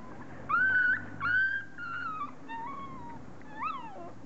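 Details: Forty-day-old dog puppies whimpering indoors: high, thin whines that slide and fall in pitch, two louder drawn-out cries near the start followed by softer bent whimpers, over a faint low hum.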